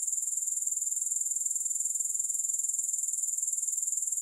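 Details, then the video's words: Grasshoppers trilling nonstop, a very high, thin sound made of quick, evenly spaced pulses at constant loudness, with no music or other sounds. "Grass Hopper Sounds"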